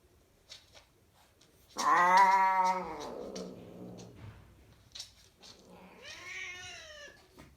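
A Ragdoll cat gives a loud, drawn-out yowl during mating, then a second wavering cry.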